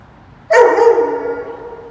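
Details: Rain-day walk with Roman the Dobermann: a sharp-onset bark, strongly harmonic, holding its tone and slowly weakening across more than a second.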